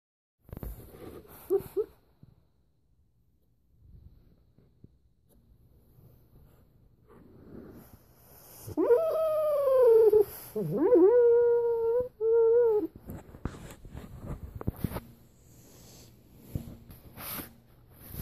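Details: Rocky, a pet dog, vocalizing in his sleep while dreaming: faint muffled sounds early on, then drawn-out wavering howl-like whines, one dipping and several held steady, before quieter shuffling noises indoors.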